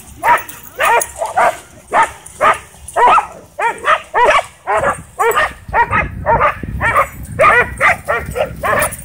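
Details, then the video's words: Dogs at a dog park chase a DJI Mavic 2 drone in a wild frenzy, barking loudly and repeatedly, nearly two barks per second in uneven rhythm, with low rumbling background noise. "DJI Mavic 2 Drone Whips Dogs Into Wild Frenzy At Dog Park"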